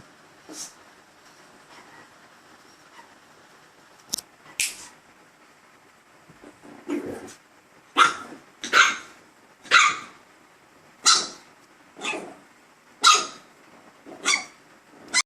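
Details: Gizmo, a dog, barks at himself indoors, starting with sparse isolated barks, then a rapid run of about ten loud sharp barks roughly one second apart.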